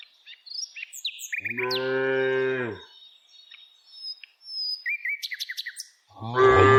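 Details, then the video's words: Village cow during daily herding lets out one long level moo of about a second and a half, a second moo beginning at the end; chirping small birds and brief twitters fill the gaps. "Cows Sounds"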